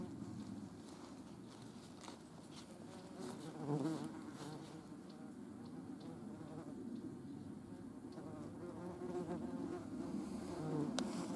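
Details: A European hornet gives a steady, low droning wing buzz, rising and falling as it moves, alongside German wasps (Vespula germanica), in the Eifel region.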